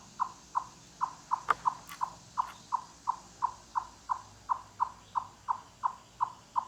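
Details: Chipmunk calling in a forest, loud clucking notes like knocking on wood, carrying far; short hollow clucks near one pitch repeated about three times a second in a steady series, with a few faint clicks in the background.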